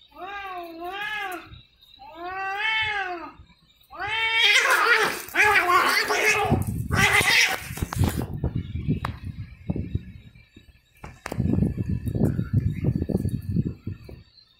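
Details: Cats fighting: two long wavering caterwauls with rising and falling harmonics, then a burst of harsh hissing and spitting screeches, followed by scuffling thumps and rustling noise.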